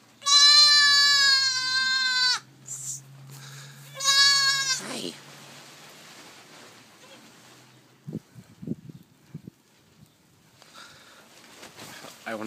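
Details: Day-old newborn goat kids calling noisily: two loud, high, harmonic bleats of about two seconds and half a second, then quieter handling noises, a woman speaking softly and faint later bleats.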